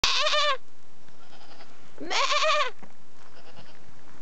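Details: Goat calling with two wavering, nasal bleats, each about half a second long and two seconds apart. The second bleat rises, then trembles. A faint click follows, then quiet.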